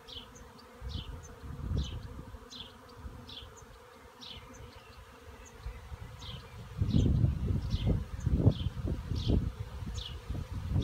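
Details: A honey bee swarm in a cherry tree makes a dense, low, droning buzz that grows louder partway through.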